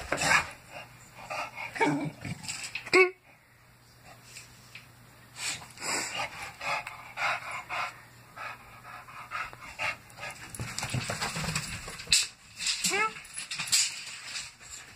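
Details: Pet bulldog at play with a tape measure: rapid breathy panting bursts, with a sharp clack partway through, then a short squeaky whine among scuffling, rustling noises.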